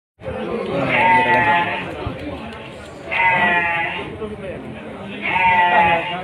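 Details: Young male goats for fattening at the Padang Tiji livestock market in Aceh, Indonesia; three wavering, nasal bleats come roughly every two seconds, each a few tenths of a second long, over steady crowd chatter and human voices.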